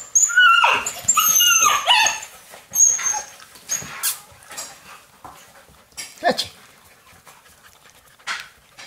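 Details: Alaskan Malamute puppies playing indoors on a rainy day alongside a young adult male; loud, high harmonic whines and yelps fill the first two seconds, followed by scattered shorter squeaks, yips and soft thumps of play.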